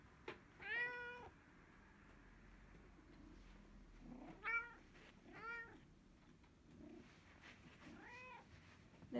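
A domestic cat gives short, rising-falling meows in reply each time its name is called.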